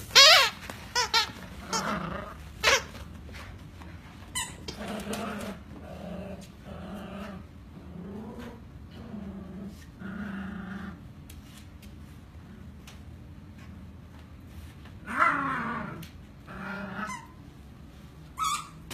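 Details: Two happy Schnauzer puppies playing indoors: low, rumbling growls repeated in short bursts through the middle, broken by sharp high yelps and squeaks at the start and near the end, with scuffling in a small room.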